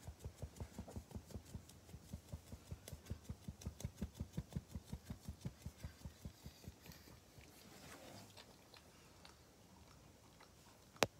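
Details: Pug named Maria in Japan, recorded 25 June 2021, breathing in rapid, low, snorting pulses, roughly three each second, steady for about seven seconds. The pulses then fade into quieter rustling, and a sharp click comes at the end.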